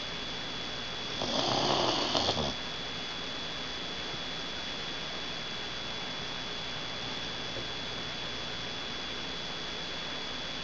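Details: One gravelly snore, about a second long, comes early from Roxxy, a dog asleep with her head hanging over the edge of the couch. Several quiet seconds of even hiss and a faint steady tone follow.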